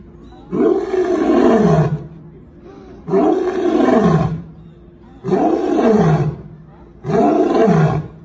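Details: A lion gives four deep, throaty, rasping roars, each swelling to a rough peak then sagging down, about two seconds apart with short quiet gaps between.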